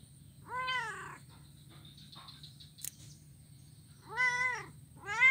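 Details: Blind young cat playing on a wooden ironwood bridge in Kuala Kapuas, Central Kalimantan, Indonesia, 25 November 2019; two loud, bowed meows about three seconds apart and the start of a third, with a brief click between them.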